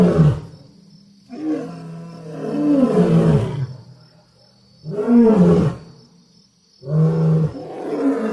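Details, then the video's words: Lion roaring in repeated bouts of deep, rough, moaning calls that rise and fall, separated by short quiet gaps, with a faint steady high tone in the background. "sounds of lions"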